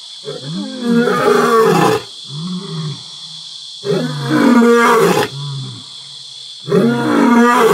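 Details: Pride male lions at Selinda Reserve, Botswana, roaring together at nightfall to proclaim their territory; loud deep groaning roars followed by softer grunts, with crickets droning constantly in the background.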